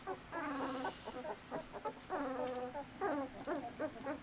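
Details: Eleven puppies, 18 days old, in their litter while the mother takes a break: bursts of squealing, nasal whines come in three longer stretches with short squeaks between, mid-pitched and rich in overtones, over a soft room hiss.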